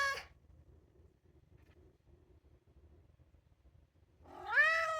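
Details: Two-year-old polydactyl male Maine Coon, kept indoors and wanting outside: the tail of one meow at the start, a long quiet gap with faint room noise, then a loud upward-sliding meow.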